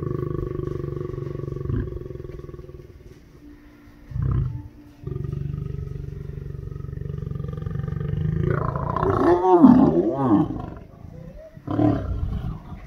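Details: Male lion courting lionesses at the Taigan lion park, Crimea: low groaning sounds under a steady mechanical hum, a short deep burst near four seconds, then a long wavering moaning roar around the tenth second and a final brief grunt.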